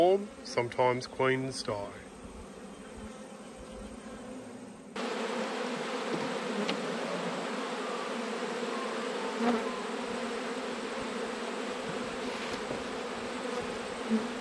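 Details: Autumn beehive inspection: after a few seconds of a man talking, a dense, steady drone of honey bees fills the rest, low and even with faint clicks.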